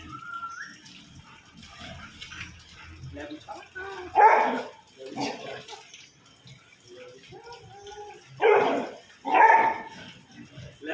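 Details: Lebu, a pet Labrador Retriever enjoying the rain, lets out a few short, sharp barks near four seconds and again near eight to nine seconds, separated by quieter stretches with faint voices.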